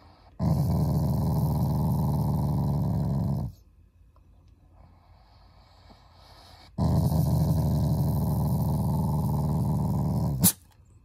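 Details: Shiba Inu, a cherished family member, growling affectionately and not angrily. Two long bouts of low, rattling growl, each about three and a half seconds, separated by a quiet pause with faint background sounds.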